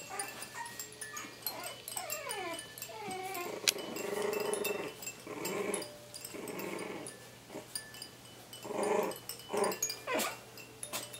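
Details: Playing Coton de Tulear puppies at 3.5 weeks old give a falling whine, then repeated rumbling growl bursts of varying length, with a constant background of light metallic chiming.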